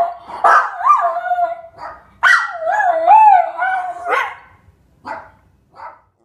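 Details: Schnauzer dog singing, recorded 15 February 2015, a dog that loves to sing when given the chance: wavering, tonal howls that rise and fall in long drawn notes, with two bursts separated by a pause, then short soft yips.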